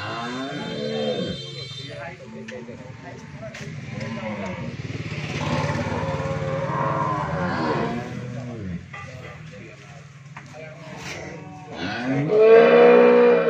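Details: Several low, arching moos from a Friesian cow that has calved once, on a Bangladeshi dairy farm in Bhangura, Pabna, amid a constant engine-like drone and background voices, ending with a louder, rising bellow.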